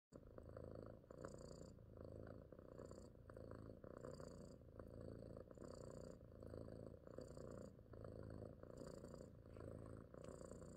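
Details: A female pet cat purring softly and steadily, a low rumbling throb that swells and eases with each breath, roughly two cycles per second, in a quiet indoor setting.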